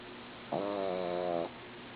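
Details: One steady, buzzy snore of about a second from a sleeping female dog, rich in stacked tones and slightly wavering, over faint background hum.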